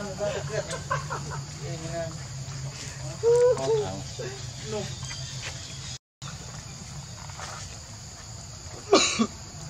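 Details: Baby monkey Leo, hungry, crying and begging its mother for milk: a run of high, tonal, wavering cries with a loud strained burst midway and a sharp squeal near the end, over a steady insect drone.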